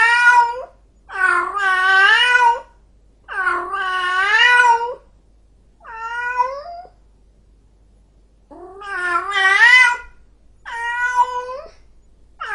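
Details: Angry cat yowling: about seven drawn-out, wavering, moaning cries, some long and loud, others shorter, separated by pauses, with nothing else audible.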